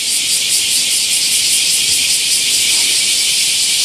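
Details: Bear cicadas massed in a summer chorus at Daitokuji Park's big camphor tree, Nagasaki, Japan, heard in the morning as a continuous high buzzing wash with a slight throb, rendered in Japanese as 'shin shin shin'; no pauses.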